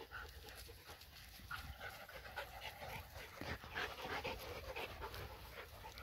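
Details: Borzoi playing with its Golden Retriever and Poodle friends: rapid, rough panting breaths repeating several times a second, mixed with scuffling and low wind-like rumble.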